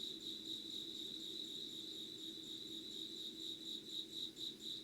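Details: Insects trilling at 05:00 on 25 August 2019, in unedited natural sound. A constant high pulsed note throbs evenly and swells slightly near the end, with a low hum underneath.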